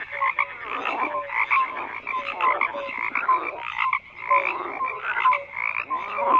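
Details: Frogs croaking together in a dense chorus, overlapping rasping croaks with short tonal notes repeating irregularly, steady throughout with no other sounds.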